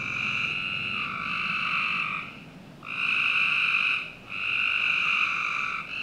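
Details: On a summer night behind a Northern Virginia home, frogs produce long buzzy trills, one stretching over two seconds, then a short dip and further trills of about a second each.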